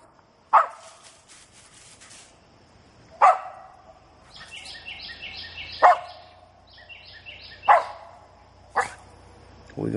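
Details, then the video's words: A nearly eight-month-old dog barking at a treed gray squirrel in South Georgia: single loud, sharp barks every two to three seconds, with a man talking quietly between them. "treeing a South Georgia gray squirrel"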